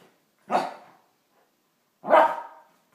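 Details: One-year-old wire hair fox terrier named Yogi barking while playing with Jaz, a two-year-old tuxedo cat, indoors; two sharp barks about one and a half seconds apart, quiet between.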